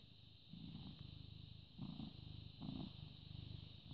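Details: British Shorthair cat born 18 August 2010, recorded 14 May 2017 at 09:16, purring steadily: a low, rough rumble that swells in loudness with each breath, roughly every second, against a quiet steady background hiss.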